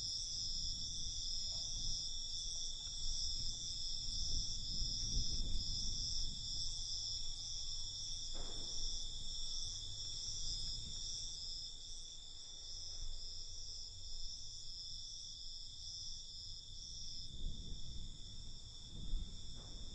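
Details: Cricket. A dense chorus of crickets keeps up a continuous high, shimmering trill with faint pulsing through it. Beneath them a soft, low rumble of wind or distant noise rises and falls.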